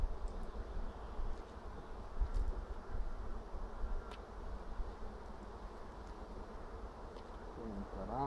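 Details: Honey bees buzzing in an apiary in April 2016 as a beekeeper checks frames for fresh eggs: a steady low hum throughout with scattered clicks and a brief voice at the close.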